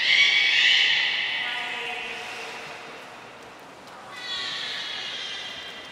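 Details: Beluga at Port of Nagoya Public Aquarium, all animals joining a 2 April 2023 training session: a bright, nasal, neigh-like harmonic call that fades, followed by a second, softer one.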